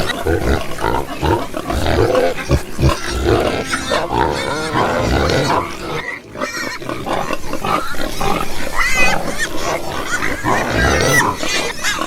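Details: A crowd of pigs grunting and oinking almost without pause, deep rough grunts mixed with higher nasal squeals, dropping briefly quiet around the middle before the chorus resumes.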